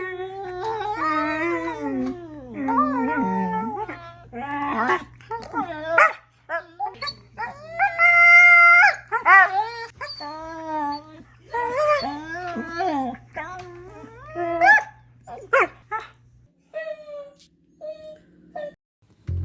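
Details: Siberian Husky barking and whining: a long run of loud, strongly pitched yelps and whines with wavering, bending tones, short barks in bursts, brief pauses, and a steady low hum underneath, quieter whines near the end.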